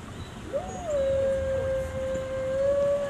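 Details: A gray wolf at a zoo in Washington, DC howls: a smooth, mournful note that swoops up briefly, then holds steady.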